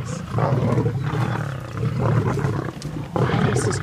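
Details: Deep, rumbling lion growls come in three heavy bursts, separated by short gaps, during a sunrise fight between the three Birmingham males and the Nkuhuma Pride with its cubs on August 11.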